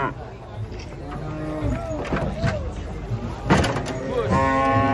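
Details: Cattle coming down off a truck, restless and rampaging, low moos rising and falling in short bursts, then a strong sustained bellow near the end, with people chattering and engine noise behind.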